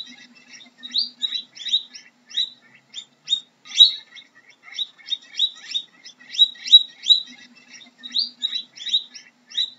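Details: Guinea pig squeaking in a dense stream of short, shrill, rising chirps, irregularly spaced and sometimes doubled, with a faint low hum underneath.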